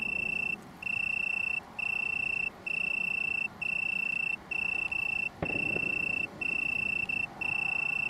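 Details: Small colony of Italian tree crickets (Oecanthus pellucens) near Brighton, UK, on 21 September 2019, giving a sweet, even trill in repeated bursts under a second long with short breaks; one brief click midway.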